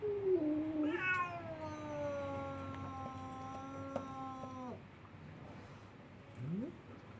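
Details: A Siamese cat that wants to visit a ginger cat gives a long, drawn-out, wavering yowl, then a brief rising chirp-like note.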